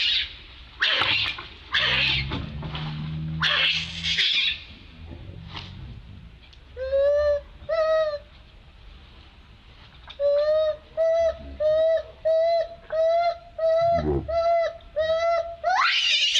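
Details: Distressed monkey calling for help: harsh broken screams at the start, then after a pause a long series of clear, tonal cries repeated about once a second, ending in another sharp scream.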